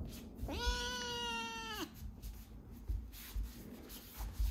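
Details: Foster kitten Chirol, a rescued cat that eats well and meows a lot, gives one sustained meow of over a second, level then falling sharply at the close, followed by soft indoor rustling.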